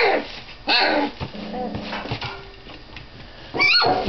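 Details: Doberman puppies 25 days old asserting dominance on one another; short high whining yelps and squeals, a loud yelp near the start and another at the end, with low grumbling between.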